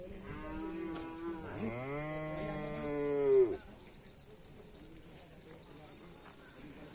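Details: Karapan sapi racing bull in training at a field in Indonesia gives one long harmonic moo that rises and swells before cutting off, with quiet background murmur afterwards.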